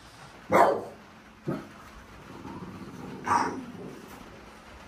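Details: French Bulldog in a sunroom in Kansai, Japan, at night during thunder and rain as Typhoon No. 10 approached; two short, sharp barks about three seconds apart, with a fainter yelp between them, over steady rain noise.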